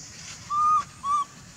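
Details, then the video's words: Baby monkey calling its mother for milk: two short, clear, steady whistled notes, the first about a third of a second long, the second shorter, over a quiet background. "Lovely baby monkey call mom to give him for milk"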